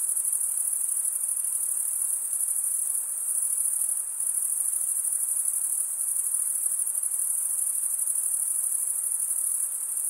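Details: High, unbroken trilling of crickets, produced as males rub a wing along the toothed underside of the other. The chorus stays even and shimmering, with a brief slight dip near the middle.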